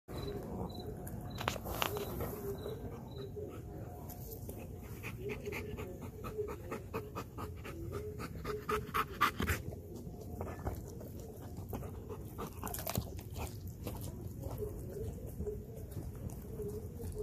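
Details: Belgian Malinois named Kayne panting rapidly after a good workout while eating a whole raw chicken, close up; fast, steady breathy pants with chewing and crunching clicks throughout.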